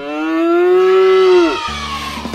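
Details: Cow moo played as a recording for a sound-guessing game on an Indonesian children's radio show: one long, steady, low lowing note that falls at the end, followed by a short bit of plucked-guitar music.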